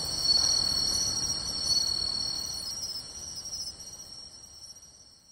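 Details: Summer-night insect chorus with pine and bell crickets in beachside grassland, Tainai, 24 August 2020; high overlapping trills and quick chirps, fading away over the last seconds.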